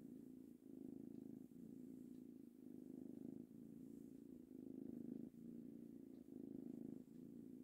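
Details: Happy purring from a three-month-old male kitten during petting; a deep even rumble pulsing in regular inhale and exhale cycles around once a second, quiet and steady.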